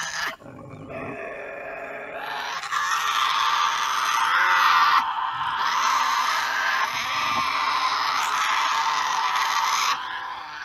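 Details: Tasmanian devil; screech; conflict with other devils over food, or mating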